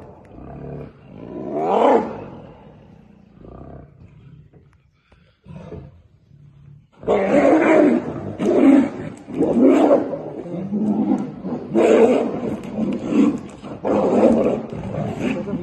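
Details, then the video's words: Tigers fighting in Tadoba jungle, India: a rising snarl near two seconds, then from seven seconds a run of loud, broad, harsh roars and growls in rapid bursts. "Tiger fighting in tadoba jungle"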